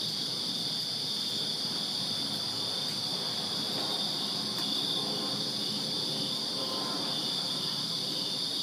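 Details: Summer night in a Virginia backyard, where many crickets keep up an unbroken shrill chorus of high trilling, with a soft low hum of distant noise underneath and a brief faint click near the middle.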